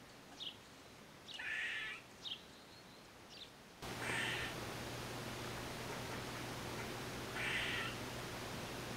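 Eastern gray squirrel giving short, nasal, mewing calls with a few quick high chirps between them.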